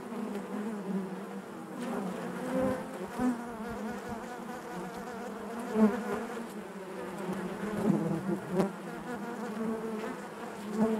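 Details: Honey bees buzzing inside their hive: a dense, steady drone centred low, with overtone bands stacked above and brief louder surges as individual bees pass close, at about 6 and 8.5 seconds.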